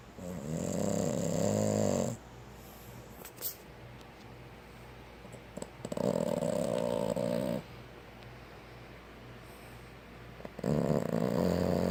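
A Boston Terrier snores in long, rumbling bursts separated by quiet pauses.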